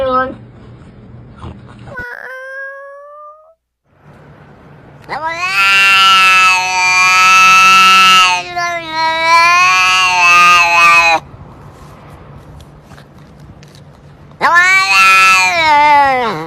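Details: Strange-sounding domestic cat cries: a brief squeak, then a long, loud, bright wailing yowl that wavers in pitch. A second shorter loud wail follows after a quieter stretch with background hum.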